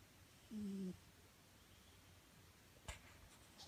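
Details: Nyankichi, a house cat sleeping soundly, gives one steady snore, a level low hum lasting about half a second with a faint higher overtone, followed by quiet room hush and a single sharp click.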